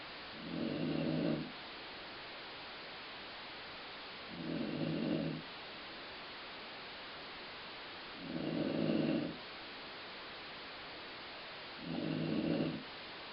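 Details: Snoring from Colline, a dog, said to resemble stomach growling: four low, rumbling snores, each about a second long, recurring roughly every four seconds with quiet hiss between them.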